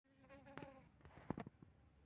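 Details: Asian honey bee colony with Apis mellifera drones added in an experiment, recorded 6 November 2021 at a honey bee base in Tingkem Bersatu village, Bener Meriah, Aceh; a short, humming buzz with layered overtones, broken by sharp knocks and clicks.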